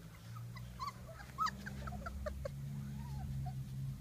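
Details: Honey's three-week-old puppies exploring the garden, Easter 2019: scattered high squeaky whimpers and yips, one louder arched cry near the middle, over a constant low hum.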